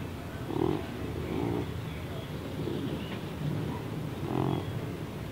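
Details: Baby, a pet cat found about two years ago, deaf with neurological and breathing problems, snorts like a pig while awake; four rough, low snorting breaths at roughly one-second intervals over steady background hiss.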